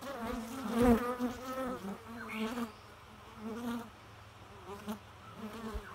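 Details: A bee hum rises and wanes in soft waves, the steady low drone briefly louder near the start with one sharp knock, then quieter, fluttering passes.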